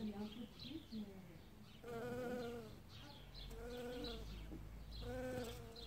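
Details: In early spring a bee gathers pollen from new blossoms; three loud buzzing passes swell and fade about every one and a half seconds, with faint bird chirps in between.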